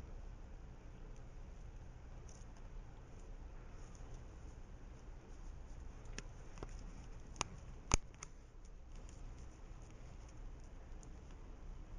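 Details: Quiet indoor room hum with a few soft taps and clicks, and no animal calls.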